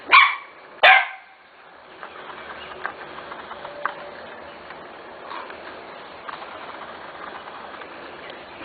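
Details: Corgi puppies of a special litter almost six weeks old, two sharp high barks in the first second, then quieter faint yips and rustling under steady background noise.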